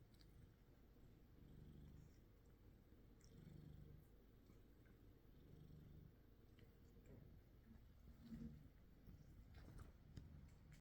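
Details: Two male house cats, a black-and-white domestic shorthair and a gold British shorthair, recorded indoors on a Samsung Galaxy S23 Ultra; a quiet, deep purr comes in rhythmic swells about every second, with light handling noises.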